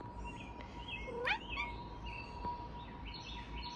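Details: Ella, a female pet cat who has never been able to meow properly, sits outside watching birds and gives one short, rising, squeaky meow, as if saying hello. Small birds chirp faintly around her, and a person speaks just before.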